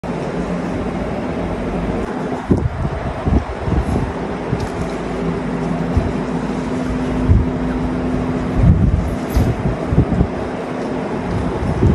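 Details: Low rumbling vehicle and wind noise with faint speech fills the recording; no animal sound is heard.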